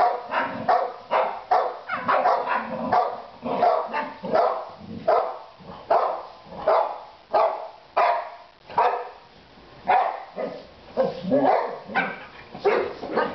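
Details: Three pet Boxer dogs barking in a fast, crowded series, harsh mid-pitched woofs tumbling over one another with uneven gaps, some overlapping as the dogs bark together.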